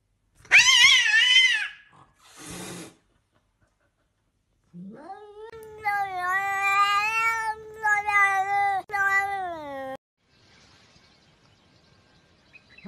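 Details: Pet cat caterwauling: two short loud wavering yowls, then a long sustained moaning howl lasting about five seconds with slight pitch wobbles and brief breaks, fading into quiet room noise.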